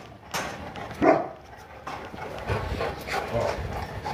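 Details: Boerboel, one of a pet pair named Enzo and Diva living in Egypt, at bath time: a single abrupt bark about a second in, followed by quieter huffs and low murmuring voices.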